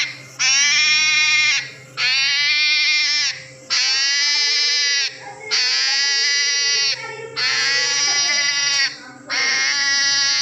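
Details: A hedgehog makes a run of six drawn-out, bright, harmonic cries resembling a baby's, each lasting over a second and repeated about every two seconds, with a low hum in the background.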